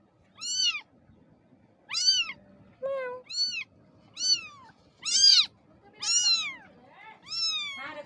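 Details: Kitten meowing indoors: seven high, thin meows, each rising and then falling, come roughly once a second with short pauses between. A person speaks softly in Bengali in the background.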